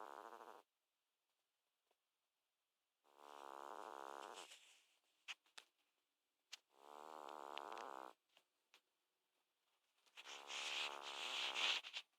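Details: American Shorthair cat with asthma, filmed 13 February 2014, snoring while asleep. Drawn-out raspy, buzzy breaths last about a second and a half each, separated by quiet pauses, with a few faint clicks between them.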